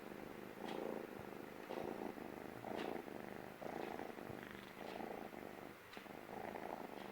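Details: A male stray kitten, sitting on a person's lap for the first time, purrs loudly and steadily, a soft rumbling pulse that swells and eases with each breath, showing he feels safe.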